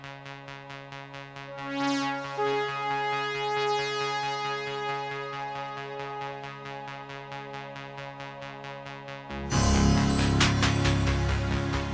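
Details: Electronic music plays with synthesizer tones and a steady drum-machine beat that grows louder near the end, with no animal sound.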